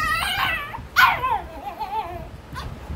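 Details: Male Shih Tzu puppy whimpering: a few thin, whiny notes, one sharper squeal that slides downward, then softer drawn-out whines, with a person talking to it just before and after.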